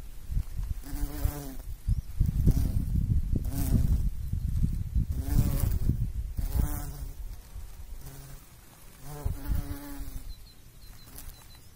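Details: Repeated low buzzing bursts from a bumblebee at work pollinating, each humming drone rising and fading every second or two, with low rumbling noise beneath.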